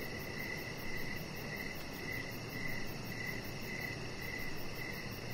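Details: Crickets sing outside on an evening deck where a chihuahua puppy lies under decoration lights; bright chirps come in clusters of rapid pulses against a steady piercing high hum and faint low rumble.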